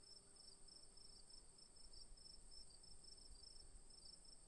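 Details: Crickets giving a fast run of high, pulsed chirps over a constant shrill drone, the chirps coming in quick clusters, with soft low-frequency background noise throughout.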